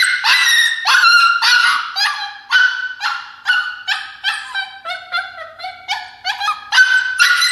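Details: Alaskan Klee Kai puppy, a young female, protesting in her crate with continuous wailing yelps about twice a second, each a strained, tonal cry that wavers and dips in pitch.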